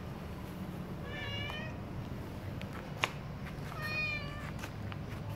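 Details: Cat calling while breakfast is made for it: two separate meows, the first bending downward, the second longer and flatter, with a sharp click between them and low room hum throughout.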